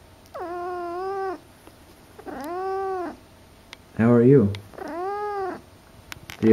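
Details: Domestic cat, female, at home indoors in her first months with her owners, gives three drawn-out, steady-pitched meows about a second each, mixed with a woman talking to her in a small room.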